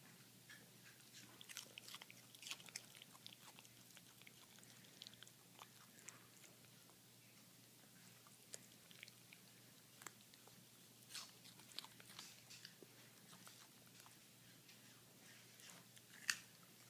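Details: Pet toy poodles eating carrots indoors, enjoying them; quiet, scattered crisp crunches and clicks of chewing and biting recur irregularly through the clip in a small, otherwise still room, with one sharper crack near the end.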